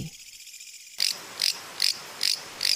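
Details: Mecopoda katydid calling from its chosen spot in a wildlife sanctuary in Guangzhou during the breeding season to attract the opposite sex; after a second of quiet, sharp high-pitched rasping pulses repeat about every 0.4 seconds, five in a row.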